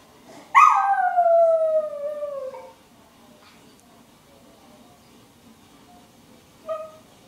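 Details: Domestic dog howls in reply to an answering machine. A single drawn-out howl starts sharply, then glides steadily downward for two seconds before cutting off. After a quiet stretch, a brief faint yelp-like note follows near the end.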